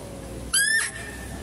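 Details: Female deer at a zoo, heard while a male deer is being fed: one short shrill call that sweeps sharply upward, then holds as a thin, steady whistle-like tone before fading, over a low hum of background noise.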